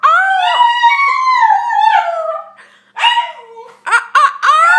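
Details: Shiba Inu indoors howling in long wavering tonal notes that slide down, then after a brief pause breaks into short yelping whoops rising and falling several times, loud and close.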